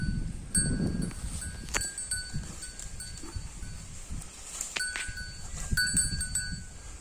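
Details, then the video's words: Holstein Friesian cow eating grass: repeated soft tearing and crunching bites over a low, rumbling chewing noise, with sharp clicks here and there and a faint steady high tone in the background. "HF cow eating grass"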